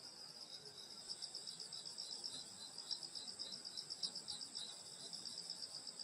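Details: Insects singing on a summer night in the countryside at a grandmother's house: dense high continuous trilling chorus with fast pulsed chirps about four per second over steady shrill bands, faint low background hum.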